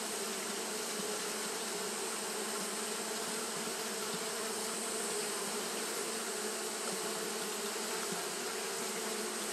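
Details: Japanese honey bees fanning continuously on a hot day, giving a dense, steady droning hum with a low buzzy tone and even loudness throughout, plus a faint high hiss above it.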